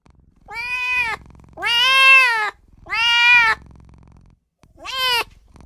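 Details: Pleading newborn kitten crying for its mother and owner: four loud, drawn-out meows about once a second, the last shorter and rising sharply, separated by brief near-silent pauses with a soft low rumble.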